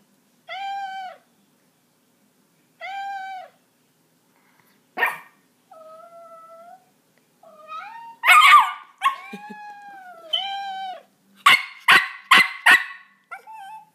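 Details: A Miniature Pinscher reacts to cat sounds played from a soundboard, giving sharp, high yapping barks in quick bursts between the played meows while told to get down.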